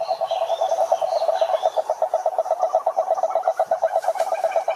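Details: Pond chorus of many frogs in the wild, a steady stream of quick pulsed croaks overlapping each other, with a few higher chirping notes behind them.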